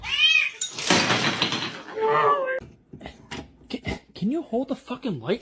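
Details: House cat in a funny cats compilation, giving a short ringing meow at the start, then a noisy burst and talking, followed by several quick wavering rising-and-falling mews near the end.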